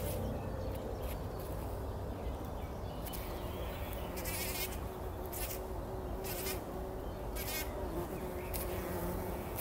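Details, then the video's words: Bumblebees bathing in poppy pollen before sunrise in 2019, with a continuous low hum of wingbeats and faint steady tones, plus several brief high rippling bursts scattered through the recording. "Hummeln wälzen sich in der Mohnblüte – summend wird das Pollenbad angenommen"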